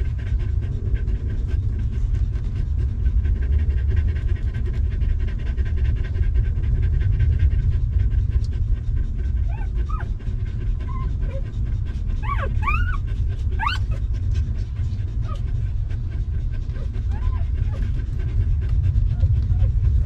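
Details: Stray mother dog and her puppies, living without comfy beds until given shelter and food; steady fast panting, with a brief cluster of high, squeaky rising whimpers midway, all over a low continuous rumble.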